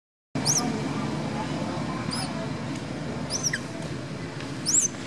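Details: Pet monkey named Dustin, described as very hungry with a problem in his mouth, crying loudly: four short, very high, thin squealing cries spaced about one to two seconds apart over steady low background rumble.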